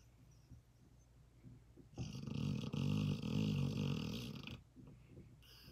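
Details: A female German Shorthaired Pointer snores loudly in a deep sleep. The snore is a single long, rough, low rumbling breath lasting over two seconds, with quiet breathing before and after it.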